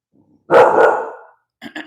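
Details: Bulldog puppy barking at a dog outside its home: one loud, rough bark lasting almost a second, then two short softer yips, with a calm voice nearby.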